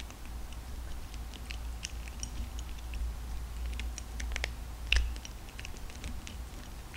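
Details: Indoors, a lively cat grinds through dry kibble with steady, hard crunching: quick bursts of sharp clicks and crackles, one louder snap near the fifth second, all over a constant low hum.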